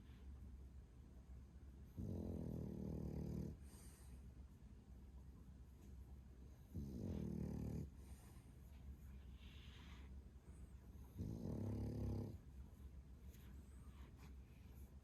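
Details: Sleeping male French Bulldog, 11 months old, 8.7 kg, gives booming snores indoors: three rasping low rumbles, each over a second long, recurring roughly every four to five seconds with quiet breathing between.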